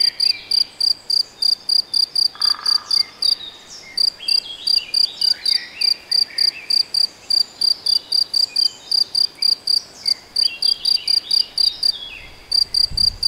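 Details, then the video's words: In Hungary's Nagyerdő woodland near Debrecen, a cricket or possibly a bush-cricket repeats a thin, bright chirp close to four times a second, pausing briefly twice, with distant bird calls and a low rumble near the end. "Tücsök vagy szöcske? - Hangfelvétel a debreceni Nagyerdőben"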